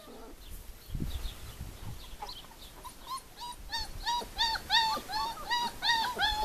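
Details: Four-week-old puppies from Le Domaine des Pertins: after a few muffled bumps and soft squeaks, a steady run of bright, arched whimpers builds up, each one rising and dropping, about three per second.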